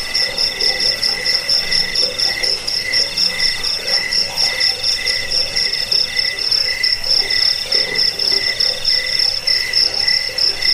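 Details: Cricket chirps for repelling rats, sleep and bird tutoring: a dense, fast run of high ringing pulses, about four per second, continuous throughout, with faint deeper croaking sounds behind.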